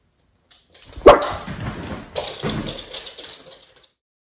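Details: Miniature Schnauzer, one of two brothers, on a morning at home on Aug 30, 2021; a single sharp bark rings out, followed by rustling and movement before quiet returns.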